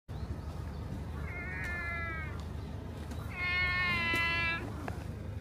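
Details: Stray orange tabby cat at a fishing port, meowing while being stroked on the back and rubbing against feet: two drawn-out, slightly wavering meows, the second louder and longer, over steady low outdoor rumble.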